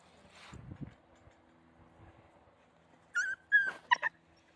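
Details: Central Asian Shepherd Dog puppies with their mother: after a quiet start with soft low rustling, a few short, high, tonal whines come in quick succession near the end, some slightly falling in pitch.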